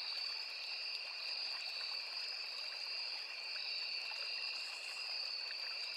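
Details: Insect chorus with crickets in forest along a small river: a relentless high, thin, ringing trill in two stacked tones, the upper one quivering, over a constant babbling stream.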